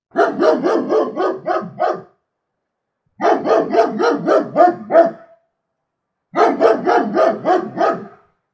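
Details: Rapid, rough barking by a German Shepherd, delivered in three long volleys of about eight barks each with roughly one-second silences between, steady and insistent.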